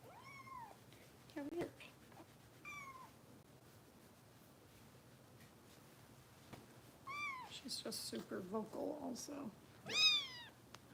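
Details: Bottle-fed foster kitten Harper in the care of Los Angeles Kitten Rescue volunteers gives scattered high, arching meows, some short and some drawn out, between quiet gaps, with soft human voices and handling noises near the end.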